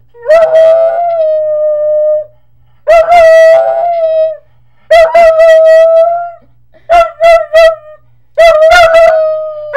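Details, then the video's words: A Puggle named Marley howls at home: five drawn-out, level tones, each starting with yipping, broken bursts before settling into a sustained wail, some ending in a falling tail, with brief silences between them. "Puggle Marley loves to howl"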